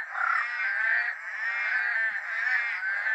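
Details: Loud night chorus of rainforest frogs in dark, drizzling rain, perhaps including Eastern Dwarf Tree Frogs. Unbroken rattling croaks overlap into a steady mid-pitched wall of sound with slight rhythmic pulsing throughout.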